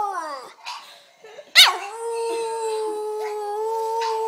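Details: A Boston Terrier howls along during a sing-along, giving a falling wail and then a long, steady, held note.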